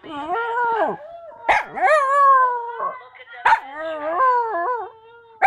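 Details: Sad dog howl: wavering, sliding howls that bend upward, broken by sharp yelping bursts at about one-and-a-half, three-and-a-half and five seconds, with nothing else heard.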